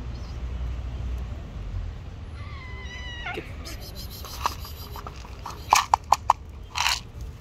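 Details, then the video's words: Hungry stray cat hugging a person's feet and asking for food: one drawn-out, steady meow with a rich stack of overtones, then a run of sharp clicks and taps over a low urban rumble. "The hungry stray cat hugging my feet wants food."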